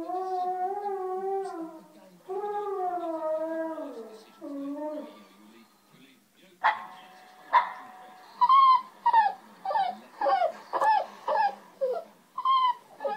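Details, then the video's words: A Shih Tzu cross Jack Russell listens as other dogs bark, growl and cry: long wavering whining cries first, then a quiet pause, then a run of sharp barks repeated about every half second. "listens to other dogs barking, growling & crying"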